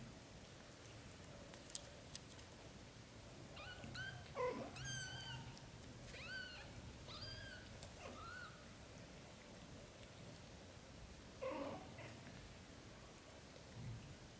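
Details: British Shorthair kittens with their mother Samel, Lotus dreaming in her arms while brothers drink milk; a run of high, thin, harmonic mews between four and eight seconds, several in quick succession, then a softer mew near twelve seconds, indoors.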